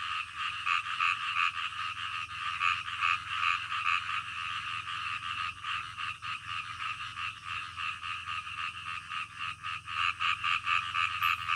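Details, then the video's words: Midnight frogs croaking in a steady, crowded chorus, fast pulses around three or four per second layered from several callers, loud and unbroken, over a soft low background hum. "SUARA KODOK DITENGAH MALAM"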